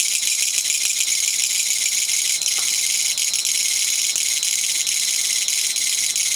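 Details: Japanese katydid (kutsuwamushi, called gachagacha) singing in a garden, September 20, 2014, after being set free from a living room it had flown into; continuous shrill metallic rattling buzz of fast pulses, with a few faint clicks.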